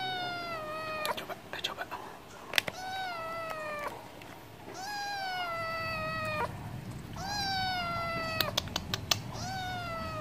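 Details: Stray cat begging for wet food: three long, falling meows about three seconds apart, mixed with sharp clicking taps and faint background music.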